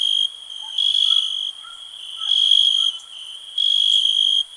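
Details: A cricket sings high pulsing trills in three long bursts, the gaps filled by a softer steady insect drone, with faint low chirps from other callers in the background.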